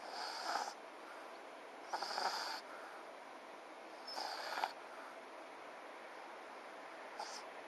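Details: FICA the French Bulldog sleeps and snores: harsh, buzzy inhalations roughly every two seconds, each with a brief snorting edge, then quieter breathing near the end.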